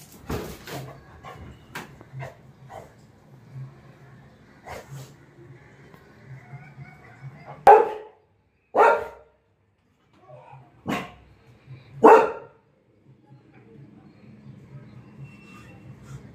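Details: Pet Labrador Retriever named Lily, after her apple drops: four short, sharp barks between about eight and twelve seconds, one to two seconds apart, with a faint low hum and soft rustling before and after.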